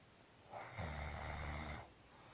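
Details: A single deep, vibrating snore from Marusya, a house cat fast asleep, swelling in after a soft breath and holding steady for about a second before fading into faint indoor hush.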